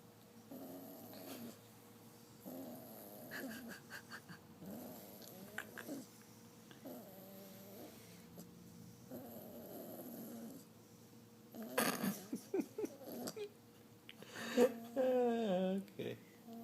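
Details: A 9-week-old female English Bulldog puppy snores while sleeping with her eyes open. Each breath is a low, buzzy rasp repeating about every two seconds. Near the end, louder snorts and a squeaky, wavering breath break the rhythm.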